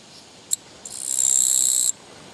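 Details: Japanese katydid met along a walking path on 24 August 2017; a single sharp click, then a pause, then a harsh, high buzzing trill that swells and holds steady for about a second before stopping abruptly.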